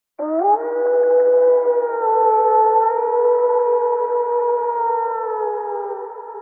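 A wolf howls: one long, smooth tone that swoops up at the start and then holds steady.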